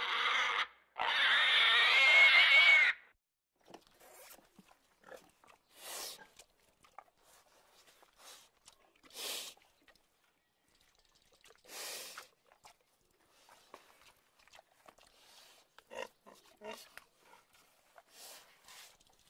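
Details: Single long, piercing pig squeal lasting about two seconds, after which only faint, scattered rustles and brief soft noises follow.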